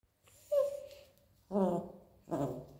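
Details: A Pinscher begs for a bite of cheese bread with a high thin whine, then two short harmonic yelping vocalizations.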